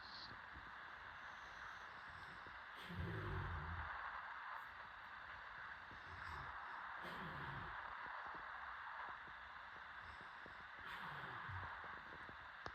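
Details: Late-night snoring from a sleeping dog: three deep, gravelly snorts spaced roughly four seconds apart, each a short low rumble, against constant faint hiss.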